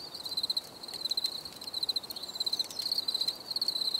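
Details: Crickets singing for relaxation: shrill, rapid pulsed chirps in groups of three or four, repeated roughly every half second over a faint hiss.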